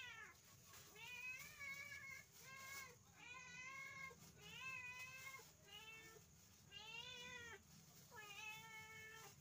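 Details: Pet village cat at dinnertime meowing steadily: about seven wavering, slightly rising-then-falling meows in quick succession, each roughly a second long, over a low background hiss.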